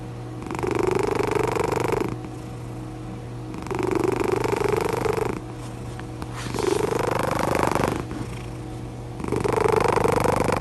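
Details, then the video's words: Cat snoring loudly while relaxed and content, rhythmic rasping breaths lasting over a second each, separated by softer gaps, four cycles in a row with a faint upward sweep, constant low electrical hum in the background. "CAT SNORING OUT LOUD"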